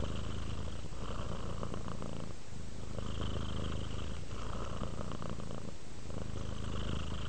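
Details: Domestic cat purring while relaxing toward sleep: a steady, low rumbling purr that swells and fades with each breath, in cycles of roughly one and a half seconds, in a quiet indoor setting.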